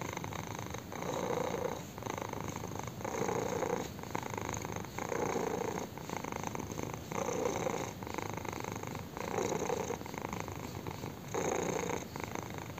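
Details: A kitten purrs intensely as its chin is scratched, the rough buzzing rumble swelling on each breath and pausing briefly about every one to two seconds, steady and close.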